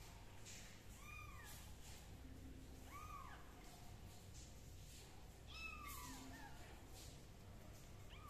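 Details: Mewing kitten, treated for a fungal condition with leaf juice, gives three arched meows spaced about two seconds apart, each rising and falling, with soft handling noises and low room hum between calls.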